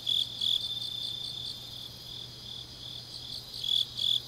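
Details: Grass insects on an autumn night in Changnyeong, South Gyeongsang, Korea; a softer, continuous high trill fills the middle while a louder chirping caller breaks in only briefly at the start and end.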